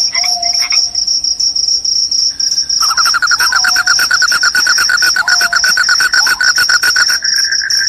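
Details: Loud cricket calling, claimed to repel rats and bring on sleep: a continuous high, piercing ring runs beneath a faster, lower pulsed trill, with a few soft whistled slides in the background.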